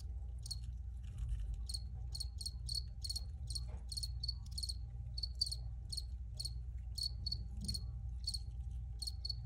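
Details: A steady run of crisp, high-pitched cricket chirps, about three to four per second and slightly irregular, sounds above a low background drone and a faint constant tone.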